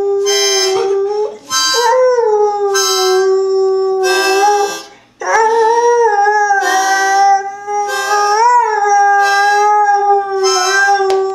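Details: Domestic dog singing along with harmonica music, producing drawn-out tonal howls with slight wavering rises, split into three long phrases by short breaks, harmonica chords sounding throughout.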